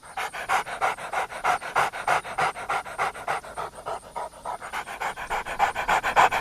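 A dog pants rapidly, about three breaths a second, each a short breathy huff in an even, steady rhythm.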